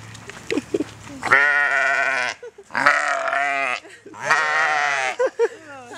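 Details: Hungry flock of sheep on a farm in Queensland, Australia: three long, loud, quavering baas, each about a second long and spaced roughly a second and a half apart, with a few short, softer bleats between them.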